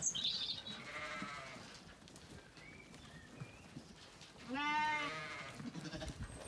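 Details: Zwartbles ewes at feeding time on a County Kilkenny farm in Ireland, sunny orchard; two wavering, nasal bleats, one at the start and a louder one near the end, with rustling and a woman calling the sheep.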